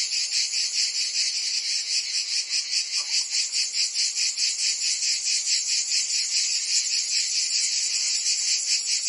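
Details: Provence summer cicadas in full song: a loud, high-pitched rasping drone beating in quick regular pulses, the chorus steady from start to finish.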